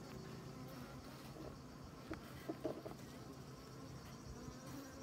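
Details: Honey bees crawling over honeycomb filled with honey, no narration; a continuous low buzzing drone from many bees, with a few soft knocks and clicks near the middle.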